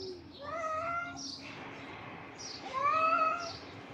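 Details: Two long, tonal yowls from bullying stray cats on the street, with a quiet gap between them. The second cry swells louder, each holding a fairly level pitch with rich harmonics.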